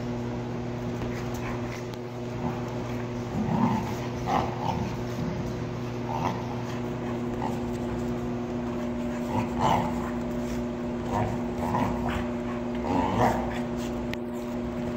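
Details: Dogs playing together at the Happich dog cafe on 8 January 2017, Cream and Milky wrestling while Mary and other puppies join in; scattered short yips, whimpers and barks over a steady low electrical hum in an indoor room.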